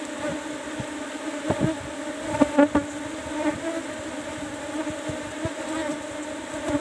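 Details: Cultivated Apis cerana colony in hive box 17 while honey is harvested: continuous even buzzing drone, fairly quiet, with scattered sharp taps and a few louder knocks around the middle.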